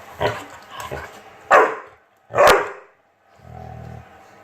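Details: Obi, a chocolate Labrador Retriever, barks while playing with a fidget spinner: two loud, sharp barks about a second apart follow softer huffs, then a low rumbling growl closes the moment.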